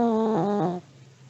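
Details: Old Pomeranian dog sleeping, letting out one short, droning snore under a second long, low and tonal with a slight dip and wobble before it fades into quiet.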